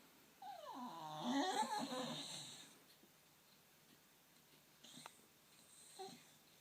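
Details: Lady, a pet Staffordshire Bull Terrier sitting on a knee, making funny noises at workmen she cannot see: one drawn-out whine that dips, then warbles and wavers for about two seconds, followed by near silence with faint small sounds.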